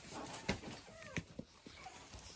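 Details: Puppies chirp on a regenerative farm in County Kilkenny, Ireland, one morning on meeting a step they cannot climb: brief thin squeaks that slide upward then fall, among soft thumps and shuffling indoors.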